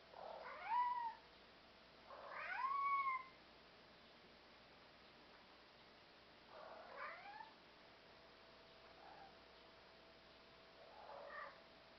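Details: Black European Shorthair cats, communicative and self-confident; two loud drawn-out meows with a bent, rising-falling pitch, followed by three quieter, shorter meows spaced a few seconds apart over a steady background hiss.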